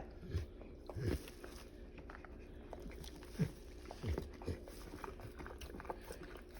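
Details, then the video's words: Cane Corso named Catalina in labour, pushing out her fourth puppy after three already born; short, low grunting bursts come about five times over seven seconds against a quiet room hum. "Cane Corso having puppies"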